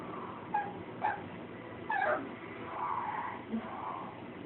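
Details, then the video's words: A female puppy gives short, high yapping barks about half a second to a second apart while barking at her own reflection, seeing herself in a mirror for the first time. "puppy barks at her reflection"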